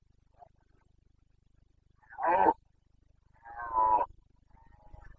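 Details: Bucovina Carpathian stag in breeding season, late September 2022, giving two powerful hoarse roars about a second and a half apart, each rough and harmonic, after a faint distant call at the start, with quiet grunting afterward.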